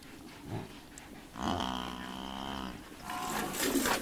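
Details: Romanian buffalo giving a drawn-out, nasal lowing call of over a second, even in pitch with layered harmonics, set against continuous noisy background and a burst of rustling toward the end.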